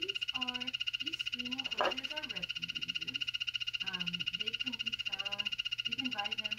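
A dart frog gives a steady, high-pitched buzzing trill of rapid pulses, with a person talking over it.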